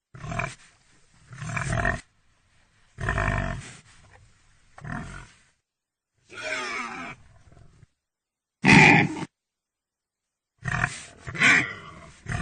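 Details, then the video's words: Pig making a series of rough, noisy grunts and snorts in short bursts separated by silences, with a few sharper, louder squeal-like outbursts near the end. "Animal sounds Pig sounds Pig sound effect"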